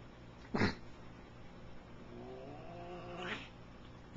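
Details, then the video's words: Black cat in a fight with another cat: a loud harsh screech, then a long wavering yowl with stacked harmonics rising toward its end, and another burst at the close over low background hum. "uneven fight II"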